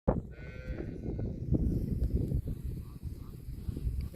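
A cow gives a low, rough moo over a dull, rumbling background.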